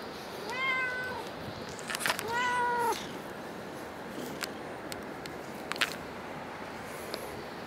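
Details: Cat at Dockyard Garden, recorded 10 August 2016 around 6 a.m.: two clear, drawn-out meows, the second longer with a falling tail, over steady low background hum and a few faint clicks.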